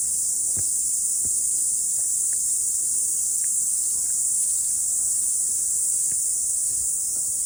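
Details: Cicada song after rain on a morning hike to a mountaintop: a loud, steady, piercing buzz fills the whole recording, with only a few soft taps and footfalls underneath.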